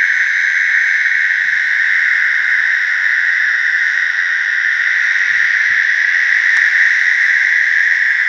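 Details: Mating calls of American toads in a slough: a constant, ringing trill that never pauses, several toads blending into one dense droning chorus, with one brief click near the end.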